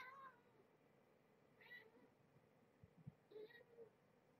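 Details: Small kittens handled during evening play time indoors, their eyes newly opening: a few short, thin mews spaced over several seconds, with low thumps and faint room noise.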